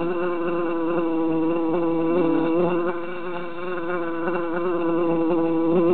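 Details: Loud, continuous hum of three bees held in a jar in summertime; their wavering buzzes overlap, fade slightly midway, then strengthen again toward the close.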